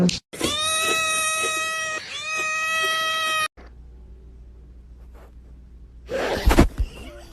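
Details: Kitten meowing and crying indoors: a long, steady, strongly harmonic wail held for about three seconds with a brief dip near the two-second mark. Quiet follows, then a short burst of rustling and handling noise.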